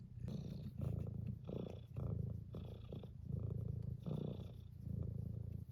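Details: Tuxedo cat purring loudly while wanting to be petted, the deep rumble swelling in strong pulses about once a second, with brighter rasping bursts layered over some breaths.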